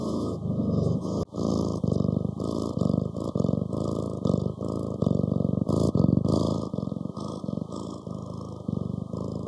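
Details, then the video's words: Domestic cat purring steadily, a low rumbling throb made of rapid pulses that swell and fade in breath-long bouts, with brief breaks near 1 and 6 seconds; no other clear sounds. "고양이 골골송 11시간 / ASMR Cat purring"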